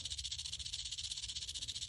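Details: Agitated rattlesnake coiled at a bulb line one afternoon, ready to strike, rattling continuously: a dense, sizzling buzz with fast, even pulses and no pauses.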